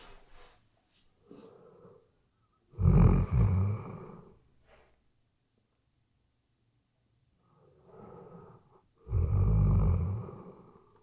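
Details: Sleeping Weimaraner indoors, recorded with a shotgun microphone: two loud, deep, rasping snores about six seconds apart, each with a throaty rumbling inhale, and softer breathy snorts between them in a quiet room.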